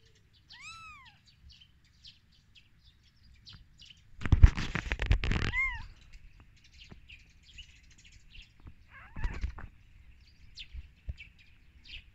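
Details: Newborn kittens on their first day of life, just after the mother cat gave birth, giving two high arched mews, rising then falling, early and mid-clip, with a burst of rustling handling noise between them and faint chirping birds behind.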